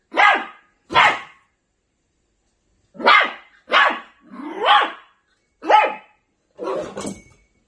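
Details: Angry Maltipoo puppy barking indoors: short sharp yappy barks, two quick ones then a pause and a run of five more, each bark high and harsh, no other sounds.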